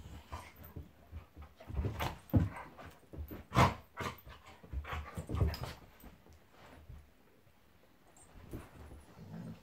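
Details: Play fight between Monty the Golden Retriever and Eric the Labrador: a run of loud rough growls and snarls, roughly one each second, fading into quieter grumbling near the end.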